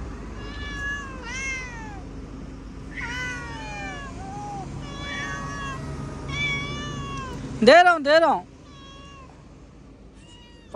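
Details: House cat meowing insistently: about five wavering, downward-bending meows in the first seven seconds. A sudden loud, harsh outburst follows around the eighth second, then softer mews fade out, with faint human voices underneath.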